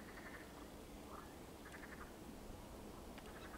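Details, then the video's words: Water frogs croak in short, quiet, rattling bursts spaced roughly a second apart against a steady background hiss, recorded in Poland on 16 May 2022. "rechot żab wodnych"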